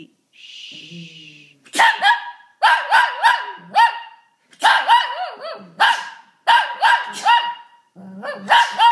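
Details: Shih Tzu that barks and howls when someone sneezes: a short human sound opens, then a run of loud yappy barks stretching into wavering, howling notes, about six bursts spaced roughly a second apart.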